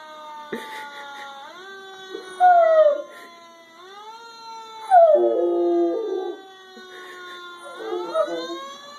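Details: Female Rottweiler, normally very quiet, howls at a fire truck siren; several drawn-out howls, some sliding downward, others held and wavering, overlap a rising, steady electronic siren.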